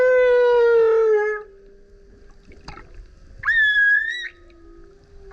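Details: Male humpback whale singing very loudly while surfacing repeatedly beside a kayak: a long harmonic moan sliding down, a brief click, then a higher steady wail around one second long, with quiet gaps between units.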